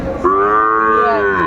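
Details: A single steady, drawn-out moo lasting over a second, rich in harmonics, from Sahiwal bull calves at a Bangladeshi livestock market in Dinajpur's Aftabganj, 28 December 2024, with faint crowd noise underneath.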